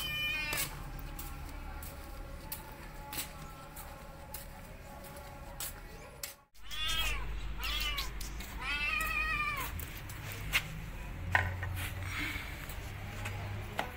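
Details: Hungry stray kitten, burnt and wounded, rescued while starving: a rapid run of arching, wavering meows after a brief cutout midway, several in quick succession, with clicks and low rumbling noise in the background.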